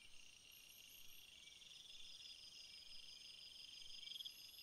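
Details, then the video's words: Crickets among field flowers: continuous high-pitched chorus of layered, steady trilling bands, with a brighter pulsed trill near the end. "crickets sound"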